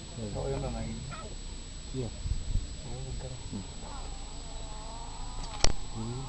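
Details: Young lions in Masai Mara National Reserve, Kenya, filmed in January 2010, protesting after being driven off while the male eats; short harmonic moaning cries and whines repeat over low rumbling wind, with one long wavering whine near the end.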